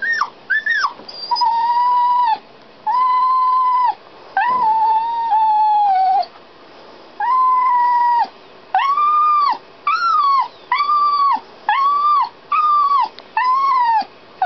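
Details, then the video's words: Shut inside a canal boat while its owners handled the locks and steering, a dog cries in a long run of steady, tonal whines, each about a second long, coming faster toward the end. "Dog Crying"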